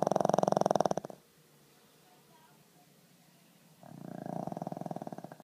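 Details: A sleeping pug gives a rough, fluttering, vibrating snore, then falls quiet for nearly three seconds before another buzzy snoring breath begins.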